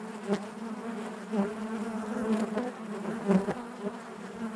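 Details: Dense hum from a honey bee colony within the hive, an even droning buzz broken by several brief louder bursts spaced about a second apart, as individual bees pass close.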